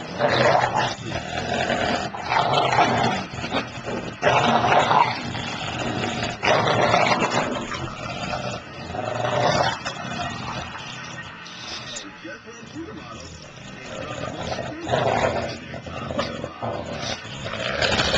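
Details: An English Bulldog of 76 pounds and a 6 pound Papillon at play, tugging a toy: long stretches of rough growling broken into uneven bursts, quieter grumbles near the middle, then louder growls returning.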